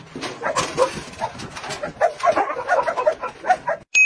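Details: Dogs, a Husky and a Golden Retriever, competing over food, with the Husky striking the Golden Retriever with a food bowl; quick runs of short, tonal yelps and whines, ending with an abrupt cut and a bright electronic tone.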